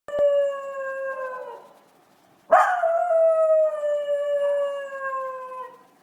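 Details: Miniature Schnauzer howling indoors: a sustained, slightly falling tonal howl of about one and a half seconds, a brief pause, then a sharp onset into a longer, steady howl lasting about three seconds, with rich harmonics throughout.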